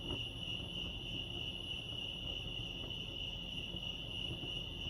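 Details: Crickets at Lake Arrowhead, California, sustaining a thin, high, pulsating chirp at an unchanging pitch, with light low-level ambient noise.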